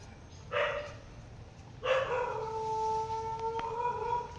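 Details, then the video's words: Dog barking somewhere away from a rooftop where pigeons are being fed: two short distant barks, then a longer drawn-out howling note that holds steady for over two seconds, with faint background hiss. "বাবা, ওদিকে ডাকাডাকি করছে কুকুর আবার।"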